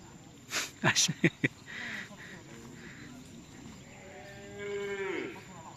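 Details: Cattle at a karapan sapi bull-racing training session at the Nyobunih ground in Galis, Bangkalan; a few sharp loud knocks open, then one drawn-out, richly harmonic moo that bends downward at its close, over steady outdoor background hum.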